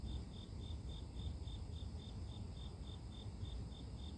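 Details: Grass insects recorded as a pure nature sleep sound: a bright, high chirp repeated at a regular pace of about three per second, with a continuous deep background rumble and faint high steady hiss.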